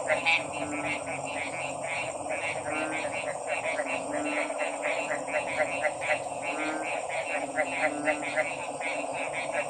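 Many frogs call together in quick, rattling pulses that overlap into a continuous chorus. A steady droning hum runs underneath throughout.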